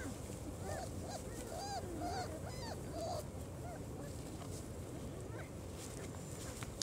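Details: Four-week-old German Shorthaired Pointer pups, out of doors for the first time, squeal in short arched whines, several together for about three seconds, then quieter with only scattered cries over steady background hiss.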